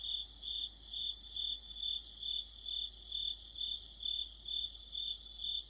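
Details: Crickets singing in deep autumn. A bright, steady high trill swells and fades in regular pulses, about two each second, clear over a quiet background.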